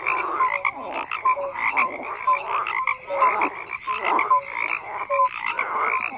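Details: Many frogs croak together in a dense, continuous chorus, overlapping rasping pulses packed into short bursts roughly every second, with a few brief tonal notes scattered through; no other sounds stand out.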